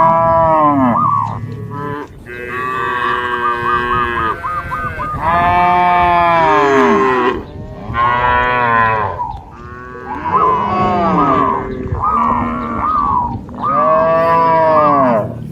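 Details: Dozens of cattle hop across a field path border among green rice paddies, moving as a lively herd; overlapping moos follow one another almost without pause, some deep and some higher and wavering.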